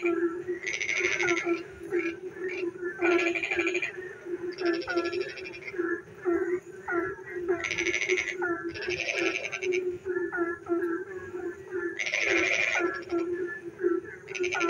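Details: Frogs calling in the dark on a rainy night, a dense chorus: a steady low drone under repeated short croaks, with bursts of harsh pulsed rattling every couple of seconds.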